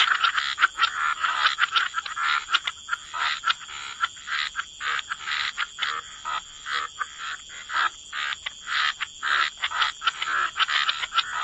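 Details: Wetland frogs in a chorus of short raspy croaks, delivered in rapid bursts with brief gaps between them and several callers overlapping throughout.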